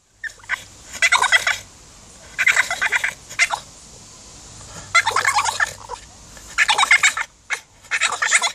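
A French Bulldog makes a string of high, squeaky, chattering squeals in bursts of a second or so. Brief quiet gaps separate each outburst, giving a dolphin-like whistling chatter.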